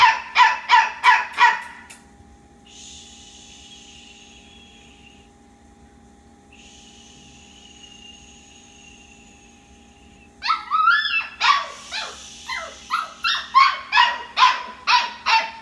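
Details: Puppy at bedtime, awake while the rest of the litter sleeps, taking about two minutes to settle: bursts of rapid, high, sharp yaps open and close the recording, separated by a quiet stretch with a faint steady high tone.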